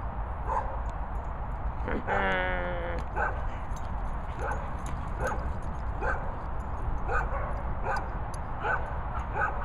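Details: Labrador Retriever sisters Luna and Maize: a short burst of stacked harmonic whining or yelping near two seconds, then faint single barks every second or so over steady low rumble.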